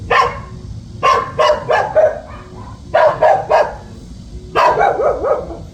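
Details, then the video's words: Young dog keeping watch over the home, barking in clustered volleys of three or four sharp yaps, some ending in brief whiny tails, separated by short quiet gaps over low background noise. "집잘지키는 강아지"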